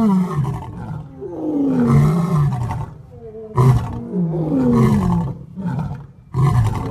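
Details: A male lion, one of three compared for the loudest roar, roars in deep, moaning bursts, each swelling and falling away before the next begins.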